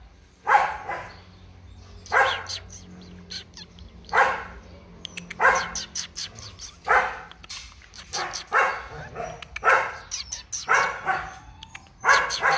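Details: Large-line purebred Rottweiler barking steadily: a long series of gruff, forceful barks, often in quick twos and threes, over a low background hum.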